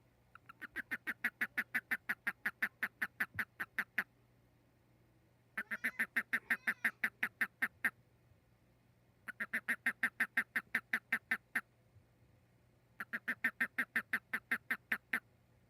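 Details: A frog at night gives bursts of rapid, nasal, quacking pulses, each run lasting a couple of seconds.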